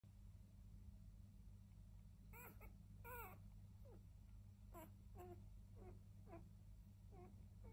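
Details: Seven five-day-old Border Collie pups, two black-and-white females, four black-and-white males and one grey-and-white male, giving high thin squeaks and whimpers, short downward-bending cries repeated irregularly, over a low steady indoor hum.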